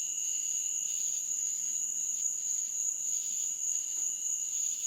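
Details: Night chorus of insects in a meadow, an unbroken shrill high whine over a second lower drone, with rasping bursts pulsing roughly twice per second and a faint low murmur beneath.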